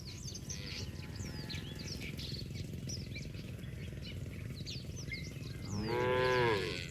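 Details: Cattle playing in mud: a steady low rumble with bird chirps, then a single loud moo rising in near the end, about six seconds in.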